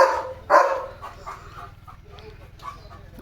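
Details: Pet German Shepherd named Leo on alert for approaching cattle as rain comes: two strong barks at the start, then quieter muffled sounds and low background rumble.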